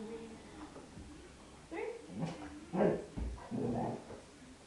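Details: Izzy, a three-year-old female Golden Retriever pet, goes through her trick routine, which includes speak and inside voice. Soft whimpering yelps and short muffled barks rise and fall over a few seconds, with human speech nearby.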